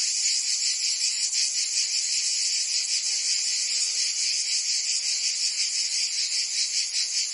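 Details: Cicadas in Provence, France, during summer, filling the air with a constant piercing rasp that pulses rapidly, steady in loudness from start to finish.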